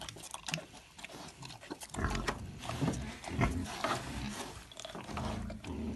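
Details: A wild boar, said to want only beer, gives deep, rough grunts and snorts in irregular bursts while a person speaks German nearby.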